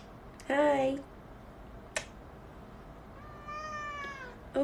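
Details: Kitten heard indoors with one clear, rising-then-falling meow, a soft tap, then a longer fainter meow and the start of another; quiet room background with a person speaking nearby.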